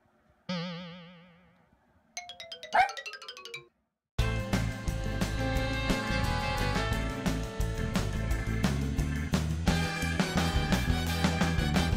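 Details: Electronic boing and chime effects open, then a short silence gives way to busy upbeat music with steady beats, with no animal voice anywhere.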